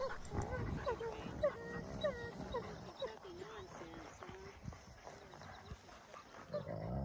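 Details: Two wolfdog puppies, Silas and Bear, battling over something both want; quiet wavering whines and yelps over low rumbling growls, with scuffling throughout.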